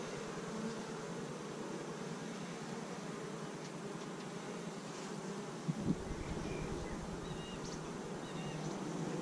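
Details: Honey bees in a beekeeper's colony, in its fifth week of building after starting with 15,000 bees in May 2017, recorded on a GoPro camera: steady, dense low humming drone with a faint sharp click near the middle.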